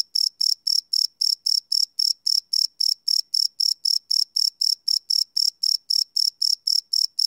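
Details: Crickets chirping at night, recorded live on a Sony PCM D100 field recorder: high, bright pulses repeated about four times per second in a steady run, nothing else audible.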